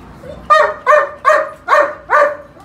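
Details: Kennel German Shepherd, purebred, letting out five loud, deep barks in steady succession, about one every half second, after a soft lead-in note.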